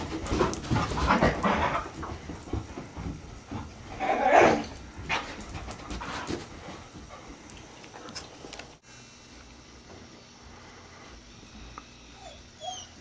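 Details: Vizslas Rusty and Beam tearing about in a hallway during a game of get it: quick, rhythmic dog panting and snuffling with scuffles early on, then the sound drops to near quiet in the final seconds.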